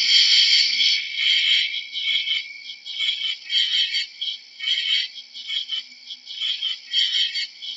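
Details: High, rasping cricket trills overlap in a thick chorus, pulsing in regular swells about every half second and starting loudest before settling into a softer, beating rhythm.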